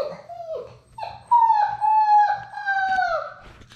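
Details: Six-week-old Labrador Retriever puppies from a litter of six, playing together indoors in their romper room; a drawn-out, tonal whining howl with rich harmonics starts with short rising whimpers, then holds steady for about two seconds before sagging and fading.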